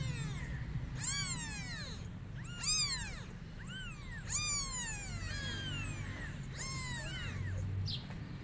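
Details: Kittens crying and meowing to call their mother cat while she runs away; a quick series of rising-then-falling meows in the first half, then softer, more spaced calls, with a low rumbling hum beneath.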